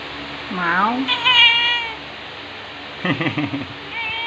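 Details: Cat in Amoranto Park, recorded on an OPPO A5s smartphone: a drawn-out meow that rises and then falls, followed by a second wavering mew and a short broken, trembling cry a second later. Faint human voices sit underneath.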